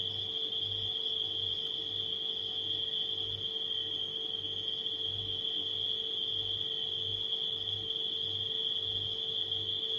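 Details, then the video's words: Nighttime crickets keep up a steady, unbroken high-pitched trill, layered over the low, pulsing drone of a refrigerator hum indoors. "Crickets & Refrigerator Humming Sound"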